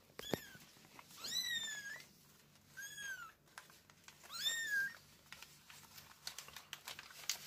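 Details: Kitten meows from a litter with their mother cat, four high-pitched, drawn-out arching cries spaced about a second apart, sharp little taps and clicks scattered between them.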